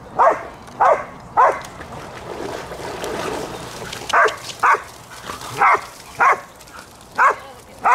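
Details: Three Border Collies playing in water, barking joyfully: sharp barks in a cluster of three near the start, a splashy stretch, then a steady run of single barks roughly every half second.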